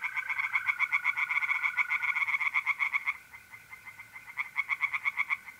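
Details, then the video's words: Tree frogs singing in a pond at night in mid-April, North-East Italy: rapid, evenly spaced croaking pulses for three seconds, a short pause, then more, over the steady unbroken trill of mole crickets. "relaxing singing tree frogs in pond"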